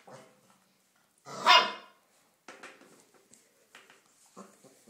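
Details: A Komondor puppy, a female almost four weeks old, taking her first steps, lets out one short, loud bark, then faint scuffling and small sounds indoors.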